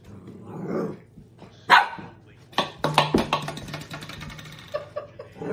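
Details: Pet dog reacting to an empty soda bottle as if threatened: a sharp bark, then a rapid run of barks and growly yips, with some speech and a low steady hum underneath.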